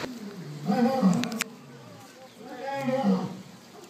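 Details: Captive lions at Big Cat Habitat in Sarasota, Florida, communicating: a lion gives two deep, moaning roars, each swelling and fading over about a second.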